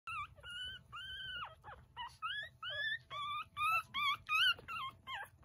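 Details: Chihuahua puppy described as a cheerful baby, giving a run of high, tonal whines and squeaks, some rising then falling, others short and bending, about a dozen in quick succession over a quiet background.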